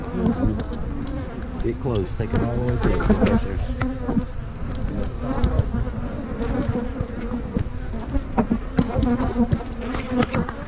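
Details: Loud, continuous honey bee drone during a hive-splitting day in March 2020 with queen cells in the new splits; several close fly-bys swoop up and down in pitch, with scattered clicks and clunks of handled frames.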